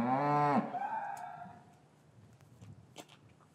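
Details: Cattle in an English cattle yard on a winter's afternoon, calves separated from their mothers, recorded with a matched pair of microphones: one loud, rich harmonic moo lasting about half a second, then fading into quiet yard ambience with faint clicks.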